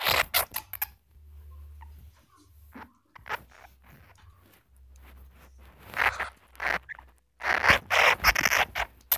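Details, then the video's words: Flying squirrel, clear calls for luring in the wild: rapid, rasping, chattering bursts that come thick at the start and end, with quieter scraping notes in between over a low hum. "Suara bajing terbang , jernih mantap untuk pikat di alam liar"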